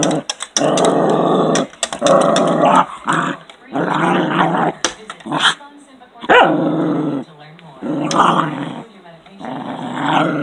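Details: A male Cairn Terrier, mad at birds outside the window that he cannot reach, barks and growls in loud, harsh bursts and takes it out on his toy; a person talks briefly.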